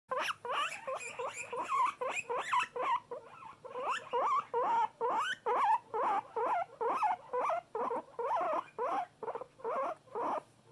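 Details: Loud pet guinea pig calling in a rapid series of short squealing wheeks, each rising then falling, repeated about twice a second, with brief pulsed chirps between bursts; no other clear sounds.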